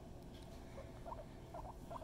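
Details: Pet guinea pig Mama Kona gives faint, brief chirping squeaks in small clusters over a steady low background hum, the notes coming after a near-silent first half.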